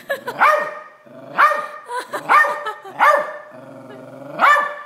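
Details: Silky Terrier barking at a crab it is seeing for the first time; a run of five sharp, harmonic barks roughly one second apart, with a soft growl between them.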